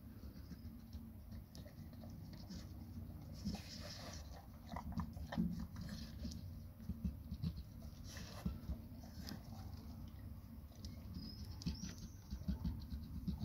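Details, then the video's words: Eating a huge grilled sandwich indoors, Labrador Retriever Nona makes steady crunching and biting sounds, bursts of louder chomps near the middle and toward the end, over a low background hum. "Labrador NONA eating huge grill sandvich"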